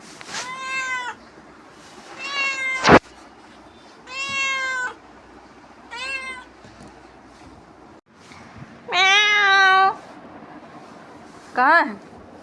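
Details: Pet cat back from roaming outdoors and pestering its owner: a series of about seven loud meows, mostly long and level, a sharp knock in between, ending with a short rising-then-falling mew.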